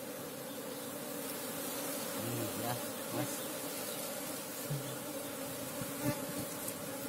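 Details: Wild Asian honey bees (Apis cerana) during a honey hunt: a steady low buzzing hum with a second higher band runs throughout, with brief voices and handling knocks breaking in near the middle and end.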